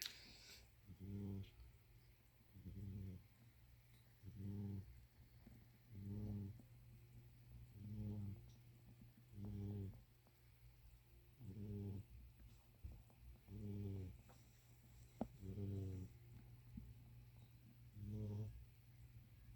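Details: A pet kitty snoring: soft, low rumbling snores, each lasting about a second, repeated steadily roughly every two seconds, eleven in all, over a quiet room background with a few faint clicks.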